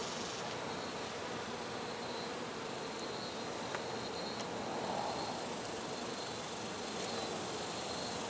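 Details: Honey bees at a hive being removed, giving a steady, dense buzzing hum that runs unbroken through the whole stretch, with a few faint clicks and taps on top.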